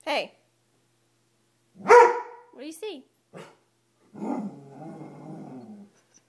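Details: Dobermann afraid of a coat, treating it as a monster: a few short sharp barks, then a low rumbling growl lasting over a second, with people talking between the sounds.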